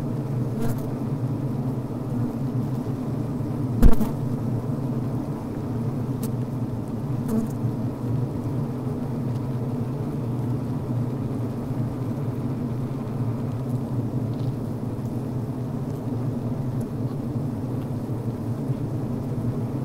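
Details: Low, even drone of honey bees within a healthy hive over the brood frame, with faint ticking and one loud bump or buzz near four seconds.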